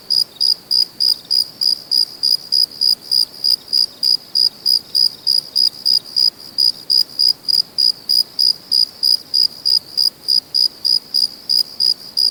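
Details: A cricket chirping after dark: a long run of sharp, high, tonal pulses at a quick steady pace, a little over three each second, unbroken and even over faint background noise.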